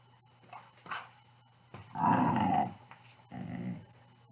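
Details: Pit Bull dog making play growls indoors: a faint low rumble early on, then a loud throaty growl of about half a second and a shorter, softer growl near the end.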